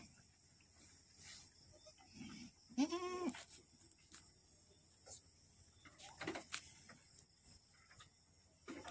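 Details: Boer goat giving birth to twins at a farm in Aceh; one wavering, nasal bleat rich in harmonics sounds about a third of the way in, over steady hiss, rustling and faint clicks.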